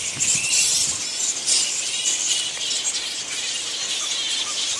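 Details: Giant fruit bats of a flying fox colony at Lansvale in Sydney fill the air with dense, very high, shrill squeals and chattering screeches that run on without a break, loud and close, with almost no low sound.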